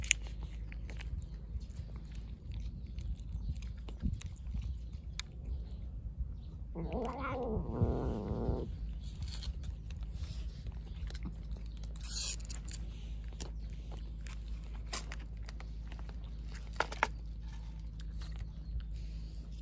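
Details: Stray calico cat wanting to carry its Kalkan food outside; one drawn-out, wavering harmonic meow of almost two seconds mid-clip, set against a steady low hum and scattered clicks of eating and crunching.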